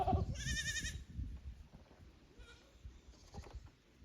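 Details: Goat kid visiting the upper pasture from the lower one at a Japanese goat farm, 15 May 2024; a single short, vibrating bleat near the start, followed by soft thumps and background rustle.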